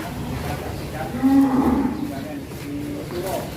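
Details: Large, heavy cattle leaving their pen: a steady, low, droning moo holds level for about half a second, then a fainter second moo follows, over a murmur of background noise.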